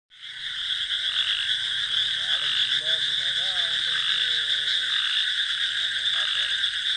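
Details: Frogs croaking at night in a paddy field, mixed with crickets: a dense, steady high-pitched trilling chorus with scattered short, wavering harmonic croaks rising and falling in the mid range.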